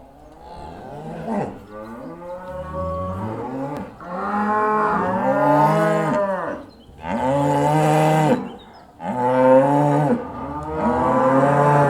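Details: Cows returning to the barn, several loud overlapping moos, long harmonic lows that rise and fall, one after another with brief gaps between them.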